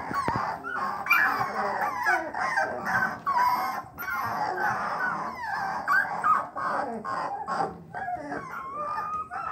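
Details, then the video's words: Three-week-old bluetick coonhound puppies begin to bawl, making constant overlapping, wavering whines and yelps from several pups, with no break. "3 week old bluetick coonhound puppies starting to bawl"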